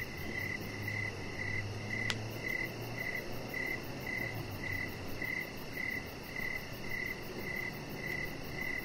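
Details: Evening crickets near a deck: evenly spaced high chirps, roughly two each second, with one sharp click partway through and a faint low hum underneath.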